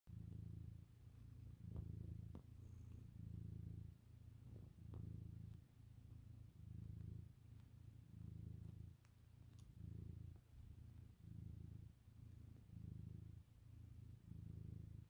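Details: Domestic cat purring indoors on a sofa at lunchtime while kneading; steady low rumble swelling and easing in breath cycles roughly every second, with a few faint clicks and soft knocks over a quiet room background.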